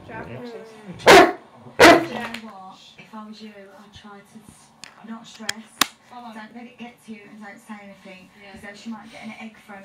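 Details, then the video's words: Rhodesian Ridgeback indoors reacting to a computer he dislikes: two sharp loud barks, then a long series of whiny, wavering vocal moans and whimpers with a few clicks. "Ridgeback doesn't like Computer"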